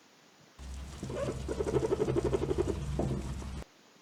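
A guinea pig utters a soft, low cooing chatter, pulsing quickly about four times a second for a couple of seconds. This contented sound often comes when it receives a favourite food or is stroked on the rump.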